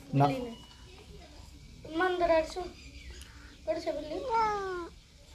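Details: Cat at home giving two drawn-out, wavering meows, each rising then falling, about two seconds apart; a child's voice is briefly heard at the start and a faint room hum runs underneath.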